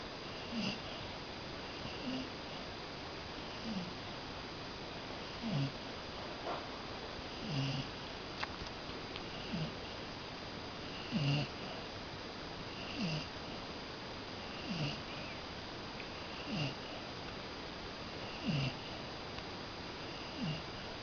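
A Cocker Spaniel snores softly, each low rasping breath coming roughly every two seconds.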